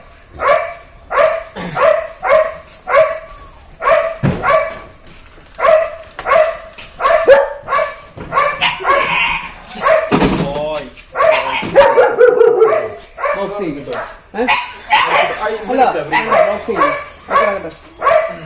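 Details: Labrador Retriever Cooper at a basic-command training session after a two-month course: a long run of rhythmic barks, roughly two per second, broken midway by a louder burst and looser whining, yelping notes.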